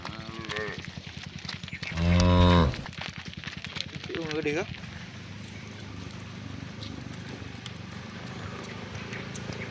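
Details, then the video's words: Cow mooing to its friends during the afternoon walk back to the barn: a short call at the start, a deep powerful moo in the middle and a brief higher one after, over low rumbling background. "The Sound of Cows Calling Their Friends"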